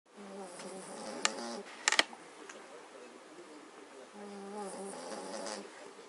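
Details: Magyar Vizsla family asleep, snoring: two buzzy, harmonic snore bouts of about a second and a half each, separated by a quieter pause with a few sharp clicks in between.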